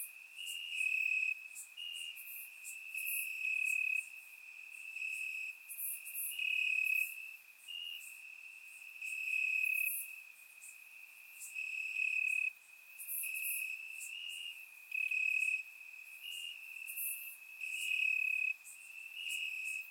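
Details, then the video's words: Bulgarian summer-night grassland crickets, many chirping at once; a constant shrill trill underlies repeated brighter bursts, loudness waxing and waning through the twenty seconds, surround-microphone recording. "Cricket Sounds - Crickets Chirping at Night"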